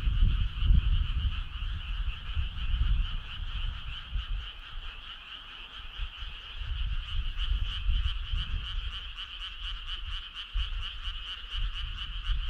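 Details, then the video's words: Chorus of frogs on a summer night: fast pulsed croaking, roughly two pulses a second and growing crisper toward the end, over a constant trill and intermittent low rumble. "Cool frog sound"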